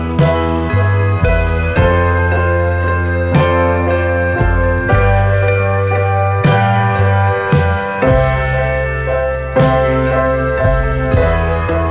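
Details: Gentle keyboard and slide-guitar music with a slow, steady rhythm and sustained bass notes.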